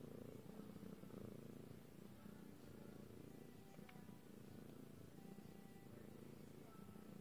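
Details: Lilac British Shorthair cat purring close up, a dense, continuous low rumble with a fast pulsing texture throughout, and faint higher tonal traces drifting above it.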